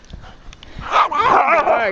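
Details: A snowstorm walk in a field in Ironwood Township, Michigan, on March 19, 2013, with small dogs and 13-week-old Alaskan husky pups among the group. After a person calls the dogs, a wavering, drawn-out whining cry rises and falls for about a second.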